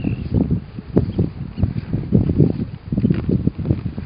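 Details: A sleeping Weddell seal on Ronge Island, Antarctica, making continuous deep, pulsing rumbles and snorts that rise and fall every fraction of a second.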